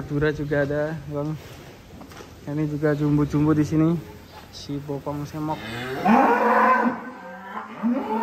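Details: Huge cow coming down off a truck at Bintang Tani Farm, giving a run of short, low, repeated lowing grunts, then a rougher, rising bellow toward the end amid clatter.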